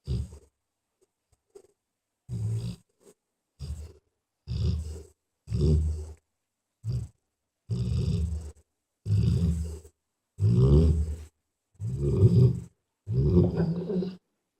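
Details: A mother dog asleep with her puppies after an exhausting day. Her snores begin faintly, then grow into louder, gravelly low breaths spaced about a second apart.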